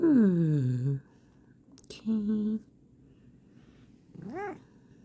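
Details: Bengal cat with its owner talking softly nearby: a long descending meow opens, a short flat vocal follows, then a brief arched meow near the end, separated by quiet gaps.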